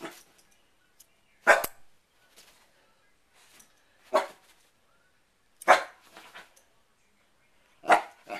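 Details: Sherlock, a dog who dislikes a hair clip opening and closing, barks four times, one loud sharp bark every two seconds or so, with quiet gaps and faint soft sounds between.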